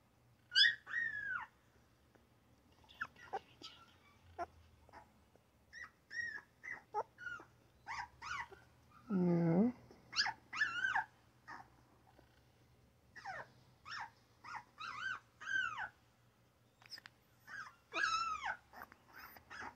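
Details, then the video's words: Newborn puppies making little squeaks and crying: rapid thin chirp-like yips with rising and falling pitch, one lower drawn-out moaning cry near the middle, quieter grunts between, in a calm room. "Newborn puppy crying, yapping and grunting!!"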